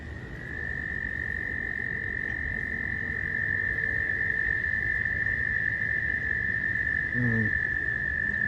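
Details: Close-range recording of frogs swimming in a little pond pool during mating season: a sustained, shrill trilling note runs unbroken for the whole stretch, with a brief low thump near the end.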